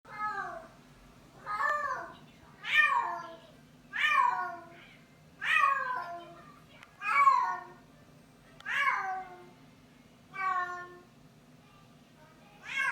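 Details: Bengal cat named Busya, a female in heat, yowling loudly indoors: a series of nine drawn-out harmonic meows, each rising then falling, repeated roughly every one and a half seconds over a steady low hum.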